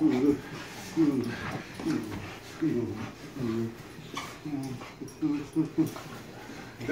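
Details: Standard Schnauzer greeting its owner with joy after three days apart: a steady run of short, rising-and-falling whimpers, repeated roughly once a second, with quiet household background.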